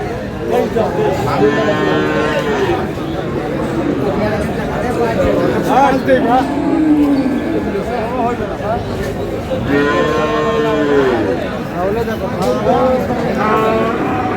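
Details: At a Dinajpur livestock market in Aftabganj, Friesian and cross-bred bull calves low in two long, resonant moos separated by several seconds, with sellers and buyers haggling prices and crowd noise throughout.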